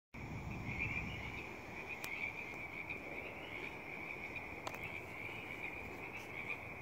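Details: Chorus of native Pacific tree frogs recorded April 3rd in the Stanley Park works yard, a new location for them; steady dense trilling band of many frogs, with faint background hum and a couple of sharp clicks.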